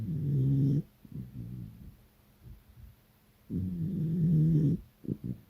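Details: During an afternoon nap with Dad, Smudge the beagle snores loudly: two long deep rumbling snores with soft snuffling breaths between them.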